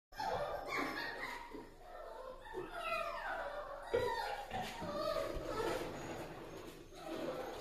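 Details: Newborn Toy Poodle puppies, a healthy litter just born, squeal and whine together indoors: overlapping high, thin cries that slide downward, several callers at once, continuous throughout with no pauses.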